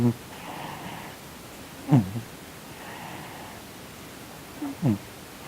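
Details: Sonny, a male Korean shorthair cat, twitching and snoring in his sleep as if having a nightmare; two brief, low, downward-sliding grunts roughly three seconds apart, with soft breathy hiss between them in a quiet room.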